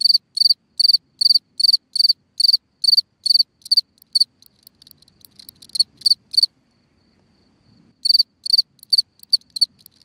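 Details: A cricket sings from a hole in the ground at night: regular high pulsed chirps for four seconds, then faint scattered clicks and soft low rustling before the chirping resumes near the end.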